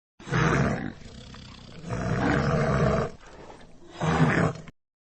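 A polar bear gives deep, rasping roars in three heavy bursts, each lasting under a second.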